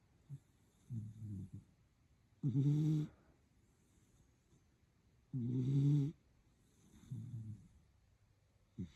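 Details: Schnoodle asleep with its eyes open, snoring in soft, low, rasping breaths, four snores spaced about two seconds apart, some brief and rough and two louder with a steadier hum.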